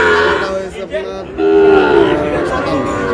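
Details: A Sahiwal bull calf bought by a Noakhali farmer gives a steady, low, harmonic moo lasting about half a second midway, over busy background chatter and crowd noise.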